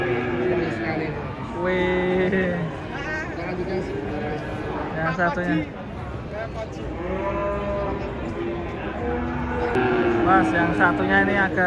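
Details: Cattle being unloaded from a truck, jumping down and falling, give repeated low, drawn-out moos with rich harmonics through most of the stretch, while human voices talk and call in the background.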